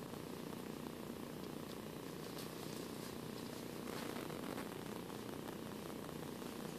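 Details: Purring at playtime from two foster kittens, Sanibel and Sunny, aged 8 weeks: a continuous dense low rumble throughout, steady in loudness, with a few soft rustles and taps over it.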